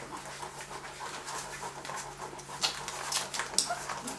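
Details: Leonberger puppies of an F litter in Hungary, October 2011: steady breathy panting under soft broadband rustle, with a few sharper clicks and thin squeaks near the end.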